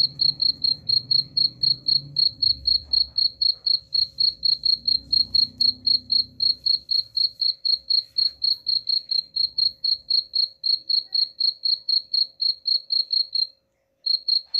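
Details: Cricket chirping, presented as a sound to drive away rats: a steady run of short, high, pure chirps about four per second, with faint low rumbling noise in the first seconds and a brief break near the end.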